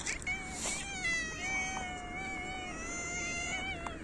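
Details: Hungry cats in winter meowing loudly while competing for food: a long drawn-out harmonic meow sustained nearly four seconds at steady pitch, with a second overlapping meow early on and light background noise.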